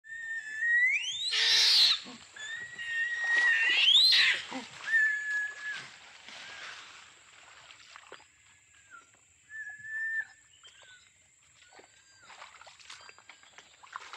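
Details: Orangutan screaming: two harsh, broadband shrieks swell from a rising whistled tone, then thinner drawn-out whistles and scattered squeaks fade into a quiet background.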